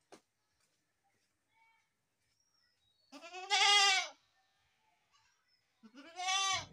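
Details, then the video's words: Two strong quavering goat bleats, the first about a second long and the second shorter, separated by near silence with a faint tick at the start. "best goat sound in the world | goat sound"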